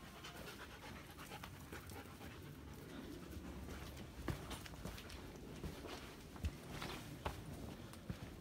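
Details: Female German Shepherd hiking an ice cave trail in summer, after a difficult climb into dark caves, panting: rough, breathy, noisy puffs in an irregular run of roughly 74 per minute, with occasional sharp clicks and scuffs.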